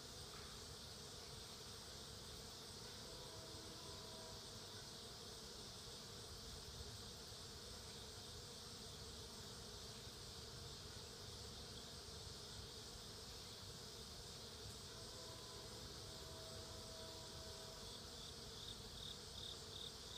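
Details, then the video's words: Foraging honey bees gathering food make a continuous, even droning hum throughout, with faint higher tonal notes near the end. "Honey Bees Gathering Food"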